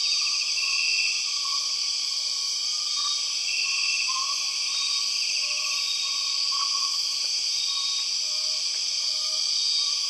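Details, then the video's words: Empress cicadas, known as 6 o'clock cicadas, in the Borneo rainforest: an unbroken, shrill, high-pitched droning buzz at steady loudness throughout, with faint thin whistled notes from other rainforest callers threaded beneath it. "The weird sound of empress cicadas"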